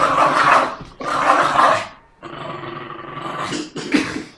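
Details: Aggressive Jack Russell Terrier tugging and growling: two loud, rough growls near the start, then a longer, lower, steadier rumble ending in a harsher burst.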